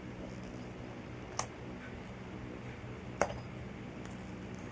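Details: Quiet indoor room tone with a low steady hum and two sharp clicks, no animal voice.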